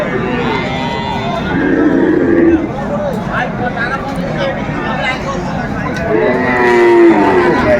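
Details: Cattle lowing at a market in Chattogram, Bangladesh, on 7 December 2024, where a farmer bought a Sahiwal bull calf; two long, low, drawn-out moos, one in the middle and one near the end, over busy crowd chatter and voices.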